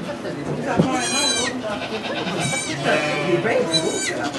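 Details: Bleating goat at a sugar shack near St-Benoît, Quebec, where two kids were being born. Three short, strained bleats come about a second apart, partly masked by people talking in French.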